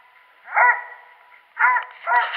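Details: Dog hunting squirrels, January 21, 2018: one drawn-out bark, then after a pause two quick rougher barks close together.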